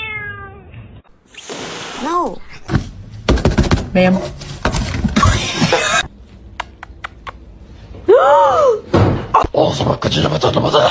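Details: Domestic cat giving two clear, arching meows, one near the start and one later, each rising then falling. Between them come speech, thumps and household clatter.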